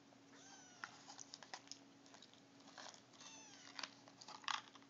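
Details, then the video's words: Siamese mix kittens three weeks old, Mia's litter, indoors: two high, thin mews, each sliding downward, about three seconds apart, over constant rustling, tapping and scrabbling. "Siamese mix kittens at 3 weeks old."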